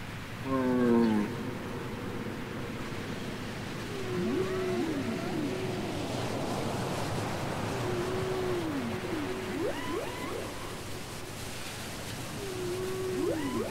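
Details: Taped whale song. A sharp burst of stacked, descending harmonic cries gives way to a repeated phrase: a mid-pitched moan arching down, paired with quick rising squeaks. The phrase returns roughly every four seconds over a steady ocean hiss.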